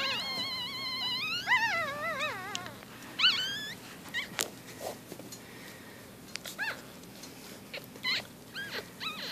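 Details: Four-day-old newborn Shih Tzu-Bichon puppies give high, wavering squeals and thin squeaks.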